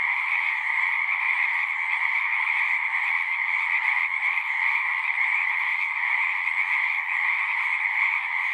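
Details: Singing frogs heard as a thick continuous chorus, countless rapid croaks fused into a bright pulsing hum over a lower tone, steady in loudness from start to finish.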